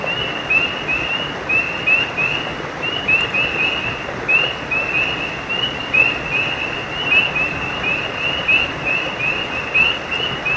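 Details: Frogs calling beside a stream: many short, high, upward-flicking whistled chirps overlap in a steady chorus, several notes each second, over a constant rush of running water.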